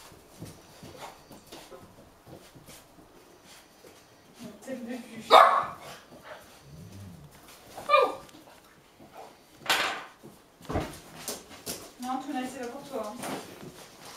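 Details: Hungry Golden Retriever puppies, eight and a half weeks old, indoors in Haute-Savoie, France, in January, barking with impatience while their meal is prepared: scattered sharp yaps and a few harmonic whining barks, mixed with people talking.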